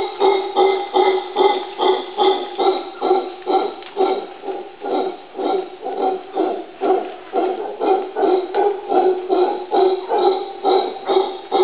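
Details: Male howler monkey on Barro Colorado Island, Panama, gives a deep, rasping alarm call in rapid pulses, about two each second, in response to a stuffed jaguar.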